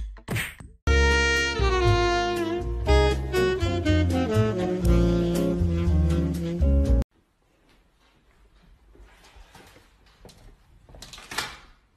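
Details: Jazzy saxophone melody that stops abruptly, followed by quiet rustling and a soft burst of noise, with no animal voice.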